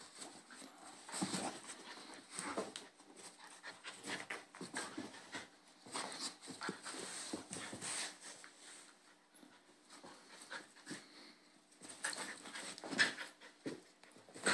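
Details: Bull Terrier puppies, two brothers play-fighting, the little one picking on the big one: rapid panting and breathy huffs, bursts of scuffling and mouthing noise, with brief sharp peaks near the end.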